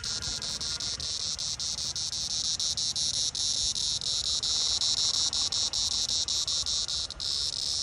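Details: Cicada being attacked and killed by a cicada killer wasp: a loud, harsh, continuous high buzz broken by rapid brief dropouts, steady throughout with no other clear sounds.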